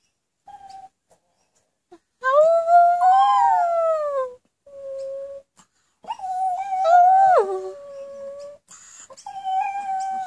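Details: Pet Pomeranians howling indoors, set off by their owner's howling; long tonal howls rising and falling in wavering arcs, separated by short pauses, with a softer held whine between bouts.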